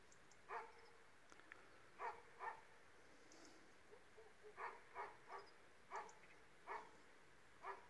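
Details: Barking from an Illyrian Shepherd and a Presa Canario mix dog, short harmonic barks in pairs and singles at uneven intervals against steady background hiss.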